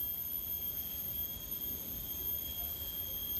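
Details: Crickets sing a steady, unbroken high-pitched trill at a peaceful guesthouse in Ubud, Bali, over faint low background noise.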